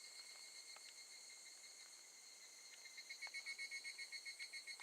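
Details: Evening cicada at Gakujin no Mori campsite, Tokushima, Japan, August 2018; steady high shimmering drone that breaks into a clear rapid pulsing trill in the final two seconds, with sporadic ticks.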